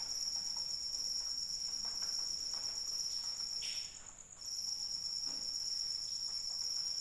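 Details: Cricket calling in rain: a continuous, steady, high-pitched ringing trill that breaks off for about half a second near the four-second mark before resuming, over soft patter of falling rain.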